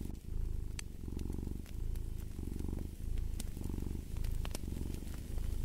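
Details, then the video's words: Cat purr heard close up with a fireplace: a deep, buzzing rumble in clear breath cycles, a stronger burst on each inhale and a softer one on each exhale, roughly every 1.4 seconds, with light crackles from the fire. "Purring of a Cat"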